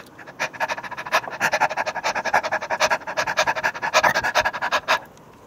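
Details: Dog panting hard while playing roughly with a stuffed toy cat, quick breathy huffs about seven or eight per second, steady for roughly five seconds before easing off.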